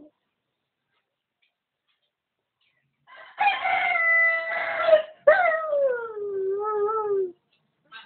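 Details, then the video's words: Dog trying to sing like a rooster crowing: two drawn-out, tonal, harmonic howls, the first held level for nearly two seconds, the second starting high, sliding down and ending in short wavering notes, silence around them. "Rooster Dog | Perro Gallo"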